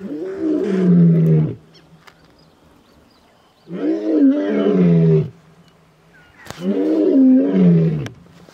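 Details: Male lion delivering three drawn-out roars, deep and vibrant with rich overtones and a downward pitch sweep, spaced a couple of seconds apart with a soft click between the last two.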